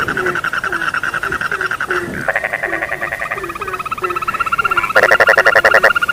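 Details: Frogs calling at night: evenly spaced low croaks beneath layered trilling calls, joined by a loud harsh pulsed call toward the end.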